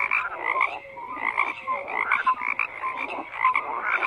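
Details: Overlapping frog croaks form a continuous chorus, rasping pulses mixed with a few clear short whistled notes, loudness swelling and dipping in quick waves.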